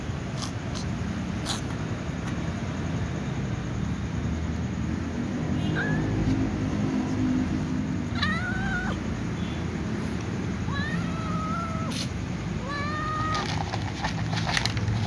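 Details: A white cat meows before eating alongside other cats: several short rising-then-falling mewing calls between six and fourteen seconds, over a steady low background hum.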